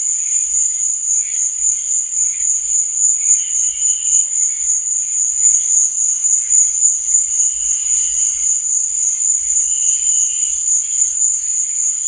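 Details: Crickets chirping at night: a steady, shrill high trill pulsing about four times a second throughout, with faint softer warbling tones underneath.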